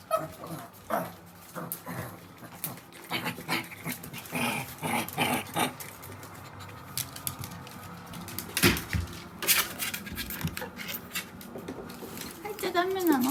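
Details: Pet dogs indoors, an older sister dog answering her younger sister's cries: short whimpers and yelps scattered over thirteen seconds, with sharp clicks and knocks, rising louder near the end.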